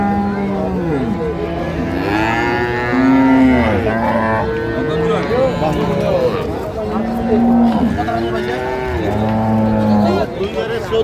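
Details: Improved-breed dairy cattle and calves traded at Ambari market in Dinajpur, 9/3/25. Several deep, drawn-out moos follow one another every two to three seconds, over steady crowd chatter and voices haggling.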